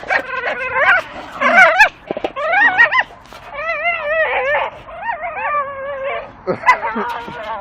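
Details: Two Staffordshire bull terriers chew a dustbin lid swinging from a tree, giving loud, wavering, warbling whines and moans in long wobbling strings, broken by short yips and grunts, with a man's voice briefly at the start.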